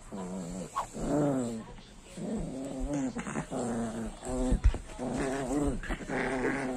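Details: Pet pinscher bitch growling while interacting with an alligator, a sustained, throaty, rumbling growl that swells and dips in several long waves, with brief pauses for breath and a few knocks in between.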